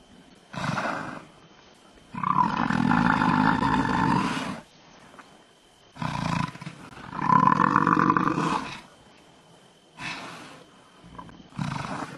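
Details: Male lions of the Timbavati pride at a buffalo kill, chasing off hyenas trying to steal the carcass; long, low, rasping roaring bouts of about two seconds, separated by short pauses, with shorter bursts between.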